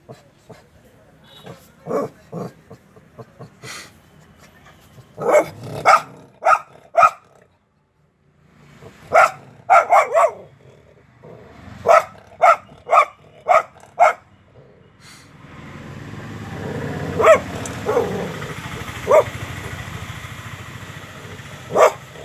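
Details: Dog barking in sharp, irregular bursts: single barks and quick clusters of two to four, with a pause near the middle, then a steady background rush under further barks in the second half.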